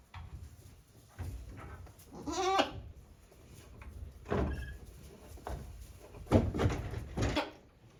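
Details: Day-old baby goat kids at Yoshigake handmade goat farm, recorded 17 April 2024. One wavering, harmonic bleat stands out partway through, followed by shorter, fainter bleats amid thumps and rustling indoors.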